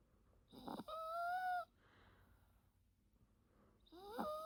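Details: A Yorkshire Terrier snores softly while napping. Two whistling, nasal snore breaths come about three seconds apart, each with a steady squeaky tone over a breathy rasp. Between them the room is quiet.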